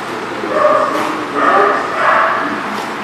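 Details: Dogs in a lot, recorded 11/09/18. Three drawn-out, tonal barks spaced about every three-quarters of a second, loud and slightly whining, with fainter barking in the background.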